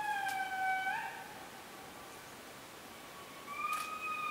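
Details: Wailing indri calls from the Périnet Reserve in Madagascar: a sustained tone that swoops upward, a quieter gap, then another long rising wail with layered overtones.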